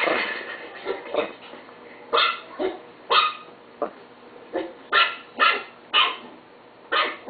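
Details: A pet Chihuahua yaps about once a second, each bark short, bright and high, some coming in close pairs, irregularly spaced.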